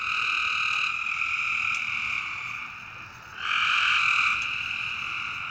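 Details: Nighttime frog calls: sustained buzzy, nasal tones that run almost without a break, with a louder, brighter call beginning after about three seconds, set against a constant low hiss.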